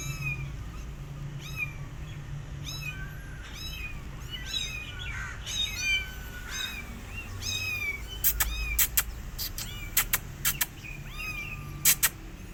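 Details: Rescue kittens, alone again because the mother cat did not feed them, mew almost nonstop with high arching cries from several voices overlapping. Sharp knocking clicks punctuate the later part over a low rumble.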